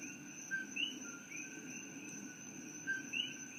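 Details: An invasive coqui frog in Hilo, Hawaii, at night gives its lilting two-note co-kee call, a short flat note jumping to a higher rising chirp, easily mistaken for sweet birdsong.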